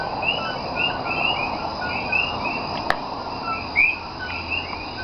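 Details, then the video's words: Common coquí frogs call at night in Cayey, Puerto Rico, on 28 January 2010. Many loud, overlapping two-note 'co-kee' calls have a rising second note. "Nighttime Sounds Of Puerto Rican Coquí ( Co-Key) Frog"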